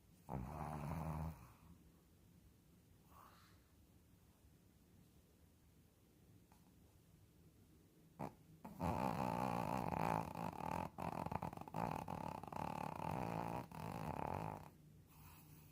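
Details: A sleeping Shih Tzu snoring: a short loud rasping snore at the start, a long quiet pause, then a drawn-out, rough, buzzing snore lasting several seconds with fluttering breaks.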